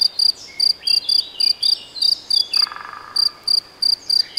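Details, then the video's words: High, ringing cricket chirps, sometimes doubled, spaced a few per second, from the Nagyerdő forest in Debrecen, Hungary, where it may be a cricket or a bush-cricket; a short descending bird trill and a rougher bird note sound behind. "Tücsök vagy szöcske? - Hangfelvétel a debreceni Nagyerdőben"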